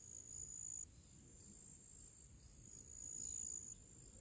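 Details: Summer crickets in nature singing their pre-evening song: a sustained high-pitched buzzing trill that stops abruptly near the first second and returns louder later, with faint low background hum.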